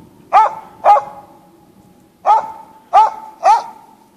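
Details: Hunting Norwegian Elkhound giving bay barks in the Sorsele forest: five loud, abrupt barks, a quick pair, a pause, then three more spaced about half a second apart, each with a short ringing tail.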